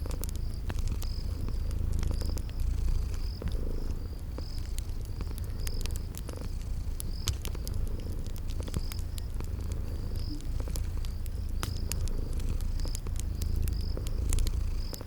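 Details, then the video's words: Cozy purring from sleeping cats, a soft unbroken rumble, accompanied by fireplace crackles and a chirping note repeating roughly every second in a spring garden setting. "Cute Sleeping Purring Kitties"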